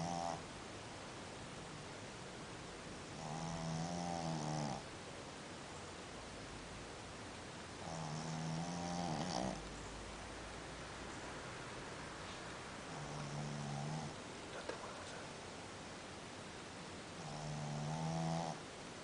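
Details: Dog sleeping and snoring in a rhythmic series of long, vibrating rasps, about four in all, each lasting one to one and a half seconds, with faint rustles between breaths.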